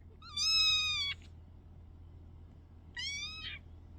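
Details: Kittens indoors: two high, thin meows with a strong harmonic stack, the first held about three quarters of a second and flat, the second shorter and slightly falling, over a low steady hum.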